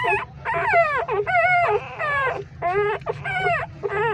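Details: Hungry three-day-old newborn street puppies nursing inside a pipe, crying loudly: rising and falling whining squeals in quick overlapping bursts, roughly one or two per second, with a low steady rumble beneath.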